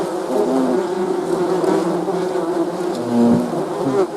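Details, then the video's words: Swarm of bees giving a thick, steady buzzing hum, many wings droning together with small wavering pitch shifts and a brief louder pass near the end. "Bee's Buzzing"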